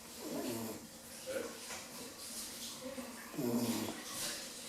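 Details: Bambi, a female Rottweiler puppy of 10 weeks, dozes with soft snuffling breaths that build to a fuller, throaty snore near the end, in a quiet indoor setting.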